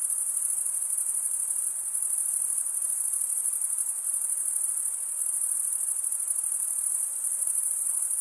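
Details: Unbroken high, thin cricket chirping from many insects at once, a level shimmering drone that swells gently now and then, with nothing else audible.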